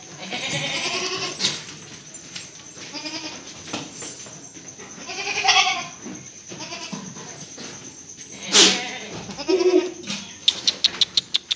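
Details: A breeding buck goat for sale on a West Bengal farm in Delua, Paschim Medinipur, bleats in several long, trembling, nasal cries, with a sharp knock and a quick run of ticking clicks near the end.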